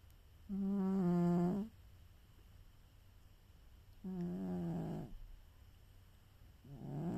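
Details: Snoring from Charo, a cat taking a nap: three loud, steady, buzzy droning breaths, each lasting roughly a second, separated by a few seconds of quiet room tone.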